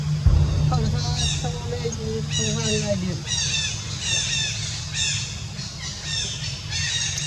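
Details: Jazzy, a monkey, cries after being bitten all over her body by ants. High, thin, arching squeals repeat in quick bursts about four times a second, with lower voice-like tones early on and a steady low hum underneath.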